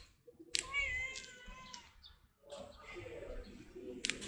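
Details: Stray cat meowing in a drawn-out, slightly wavering cry around half a second into the recording, followed by a fainter second meow and a few clicks and rustles.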